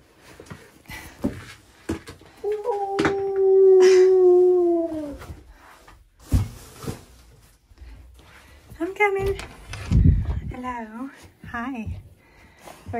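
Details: Indoors, a husky caught on a hidden camera cries with joy at its owner's homecoming: one drawn-out howl sliding slightly downward, later short wavering whines, amid frequent human talking and handling noises.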